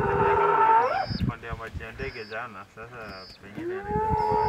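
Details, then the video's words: Trapped sub-adult spotted hyena inside an elephant carcass in the Mara Triangle, frightened by nearby lions, 10 March 2022. A strained tonal wail breaks into harsh, quavering, gurgling squeals, then a new rising howl begins at the end. "Hyena video, shrieking & howling in terror from inside a dead elephant"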